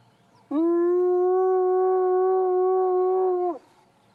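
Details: A spotted hyena sitting in long grass by a road in Africa gives one long, steady whoop that holds its pitch, then slides down at the end.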